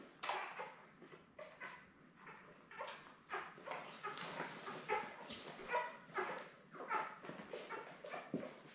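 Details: Labrador Retriever newborns, seven puppies born May 24, 2021 to mother Belle, on a live stream cam; a steady run of short squeaky yips and snuffly bursts, roughly two per second, with rustling bedding in between.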